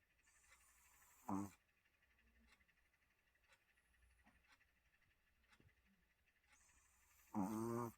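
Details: Sunny, a Maltese dog, snoring while asleep: two short rasping, fluttering snores about six seconds apart, with near silence and a few soft ticks in a small room between them.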